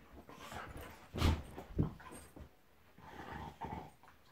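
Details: Two pet dogs, Monty the Golden Retriever and Eric the Labrador, play fighting indoors: two loud gruff growling bursts in close succession, then softer rumbling growls.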